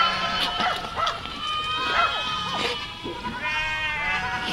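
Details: Dozens of baby sheep and goats jumping, yelling and playing together: many overlapping short, wavering high bleats from several young animals, with faint voices in the background.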